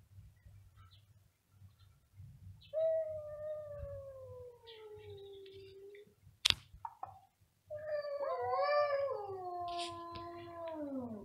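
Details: Pair of cats yowling loudly in duet; a long, slowly descending wail, a sharp click, then two drawn-out cries overlapping and bending up and down, over a low background hum.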